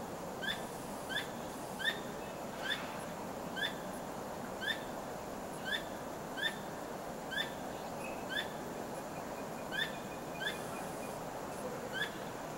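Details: At night, a squirrel wagging its tail gives an unusual run of calls: short, bright, percussive chips, about one every 0.7 seconds, evenly spaced. A faint thin whistle-like tone appears briefly near the end over low steady background hiss.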